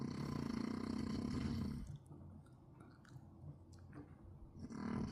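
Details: Pet dog snoring loudly indoors, a deep buzzy rattling rasp for about two seconds, then a quieter stretch of soft breathing and small noises before the heavy rattling snore returns at the end.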